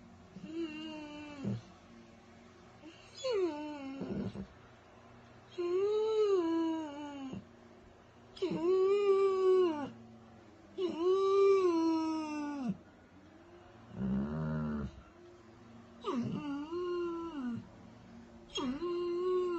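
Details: Crying Weimaraner dog giving a run of about eight wailing cries, one roughly every two seconds, each arched and tonal, falling away at its end, with one rougher, noisier cry in the middle.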